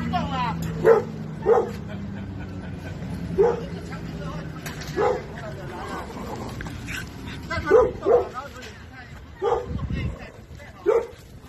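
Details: Dog at play with another dog, giving short yipping barks roughly every one to two seconds over a background of people talking.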